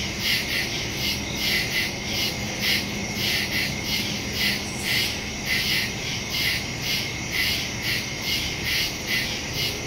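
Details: Night chorus of crickets in woodland, captured September 2, 2023 using a phone and Shure MV88+ stereo mic; many insects give rhythmic, high, buzzy pulses in overlapping waves above a continuous thin ringing tone.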